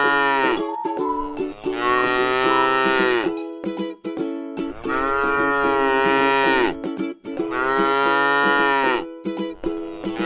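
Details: Grass-eating tame cow in a rice field moos three times, each full harmonic low roughly a second and a half long, spaced about three seconds apart, over a steady tonal background.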